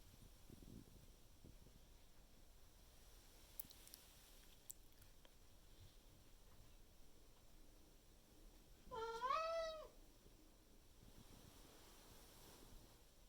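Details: Maine Coon cat named Miku loudly meowing in the morning to demand food from its owner at home, a single drawn-out harmonic meow rising then falling, about one second long, amid quiet indoor room noise and faint rustling.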